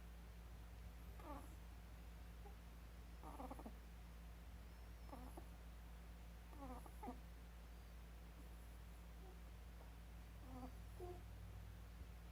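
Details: Sleeping rabbit snoring in soft "poo, poo, poo" puffs: brief squeaky nasal chirps, some rising and doubled, recurring every one to two seconds with longer pauses, above a constant low hum indoors.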